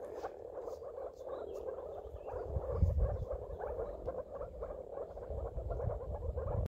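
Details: Moor frogs (Rana arvalis) calling together in soft, low, bubbling notes, like air gurgling up through water.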